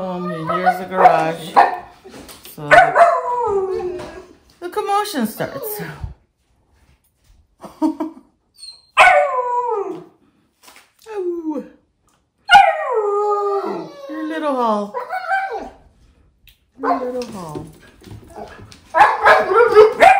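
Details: Siberian huskies, including a young pup copying an older dog, howl and whine when dad arrives home; sliding, falling howls in separate bursts with silent gaps, occasional voices.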